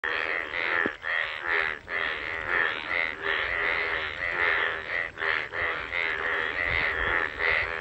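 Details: Bullfrogs calling in the rain in a village: a dense chorus of rasping, pulsed croaks in overlapping bursts, each lasting about half a second, over a steady background hiss.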